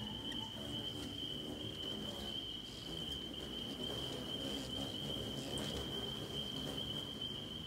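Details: A loud distant chorus of spring peepers at sunset on May 27, 2020 in Ironwood, Michigan, a steady, high, shrill ringing over a low rumble, while hummingbirds feed at a feeder at dusk.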